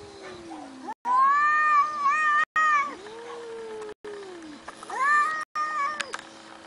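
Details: Domestic cats meowing in a compilation. A long, strong meow wavers slightly in pitch, followed by a lower, softer, falling mew and then another rising-falling meow. Hard cuts of silence break up the sequence, and a faint steady hum sits underneath.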